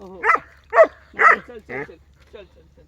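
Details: German Shepherd named Rocky in a village, four loud rough barks in quick succession followed by softer trailing sounds, with a human voice possibly overlapping at the start.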